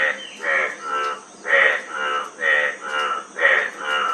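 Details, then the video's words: Frogs calling in slow alternation, about one harsh pulsed croak per second, each note a broad grating burst, a faint steady high hum beneath. "Frog Sound--Frog Sound Effect 15 min"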